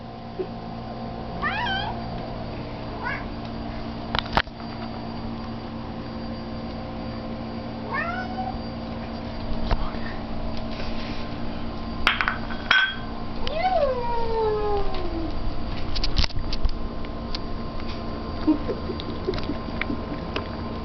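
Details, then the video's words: Two cats enjoying a midnight treat. One cat gives scattered soft meows, with a longer drawn-out descending meow near the middle. Occasional clicks and knocks sound over a constant low hum. "LeRoy the cat makes some noise"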